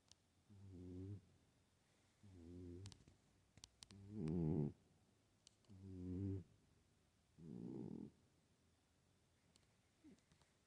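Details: A sleeping pet cat snoring unusually loudly, known to snore but not usually like this: deep, buzzy, harmonic snores lasting about half a second to a second, repeated roughly every two seconds, five snores in quiet indoor surroundings with a few soft clicks.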